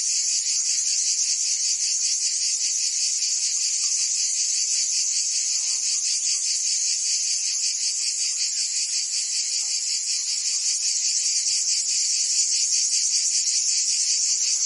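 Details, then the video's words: Cicadas singing in summer in Provence, France: a dense, shrill, high-pitched buzzing chorus that holds steady throughout, with a fast pulsing texture and no other clear sounds. "Cicadas singing in France (Provence)"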